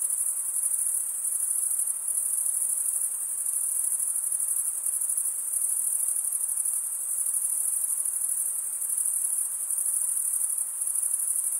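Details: Many crickets stridulating together, their wings rasping into one thin, piercing, sustained trill that swells and eases gently in loudness, with no other background sound.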